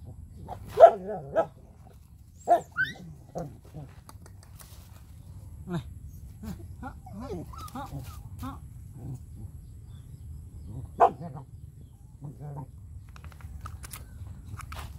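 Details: Puppies living with their owner, around feeding time, let out short high whimpers and yelps in scattered bursts, loudest near the start and again around eleven seconds, over a steady low rumble with faint human murmurs.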